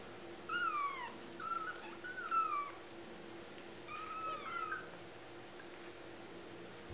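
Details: Tiny 2-week-old kittens, a litter of four, calling with drawn-out, slightly wavering high mews, about five cries in seven seconds, against a faint continuous background hum.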